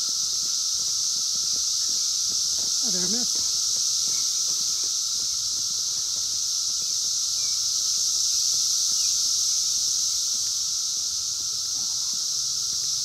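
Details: 17-year periodical cicadas of Brood X, recorded in the wild in 2021 on a phone, fill the air with a steady, shrill, unbroken droning chorus over a lower whining tone; a brief squealing voice near the start.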